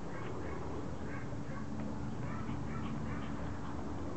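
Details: Regalo, a Pomeranian known as Loo, begs indoors for her toy to be thrown, giving a run of short, nasal, quacking yips and whines in quick succession over a steady low household hum.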